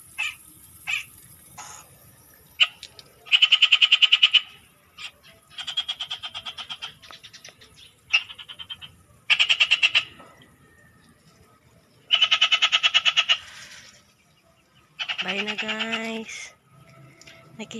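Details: Frogs calling at night in a rural province setting: bursts of rapid, rattling pulses around a high pitch, each train lasting about a second, repeated irregularly with short silences between, plus a brief lower sliding call near the end.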